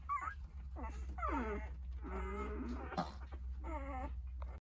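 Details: Nine Jindo puppies, eight days old, call for their mother Sarang while she eats a snack. Overlapping high, wavering whimpers and whines with falling pitch, coming in bursts of about a second over a steady low hum.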